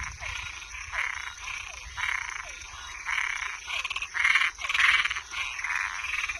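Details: After dark, toads and tree frogs produce rapid rasping croaks, nearly two per second, swelling to louder, closer calls near the end, over a low rumble and a constant high-pitched hiss.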